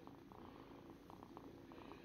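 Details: A house cat purrs in a quiet room, the low rumble beating in even, regular pulses throughout with no other clear sounds.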